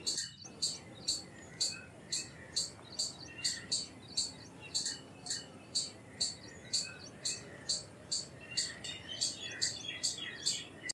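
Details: Indian palm squirrel giving sharp, very high-pitched chirps in a steady series, about two per second, continuing without pause for the whole stretch over a faint, even background hiss.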